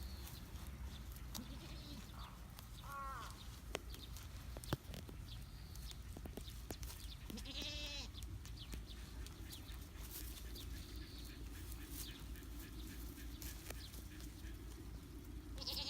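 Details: One-week-old kid goat, newly kept as a pet, gives two short wavering bleats rich in harmonics near three and eight seconds, over a steady low rumble of outdoor background noise with scattered clicks and faint ticking.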